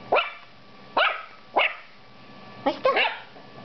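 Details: Female toy poodle puppy barks at her reflection, seeing herself in a mirror for the first time: five short, high-pitched yaps, roughly every half second to second, indoors in a quiet room.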